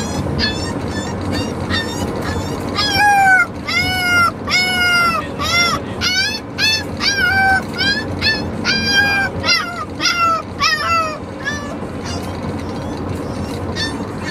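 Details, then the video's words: A Corgi puppy on his first ride home howls in high, wavering, yodel-like cries that rise and fall in quick repeated bursts; he settled down after a few minutes. "Corgi puppy Neptune Howling - he yodels"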